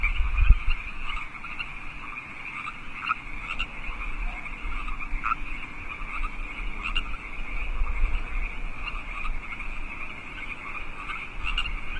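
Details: Wild frogs of California Park singing at night, 8 PM, March 15, 2014: steady overlapping croaking chorus with individual sharper pulsed calls standing out every second or two, over faint low rumble.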